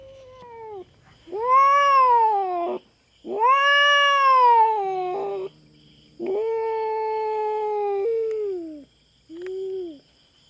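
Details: Feral cat on a farm in the Philippines, invading the farm cats' territory and confronting a black cat: long drawn-out wailing yowls, each rising then sagging, in four bouts separated by short pauses, the last one brief.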